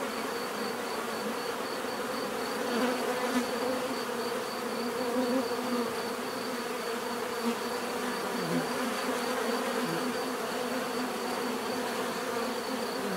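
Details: A continuous swarm-like drone of many bees buzzing together, with small swells of louder wingbeats as individuals pass closer, over a constant faint high whine.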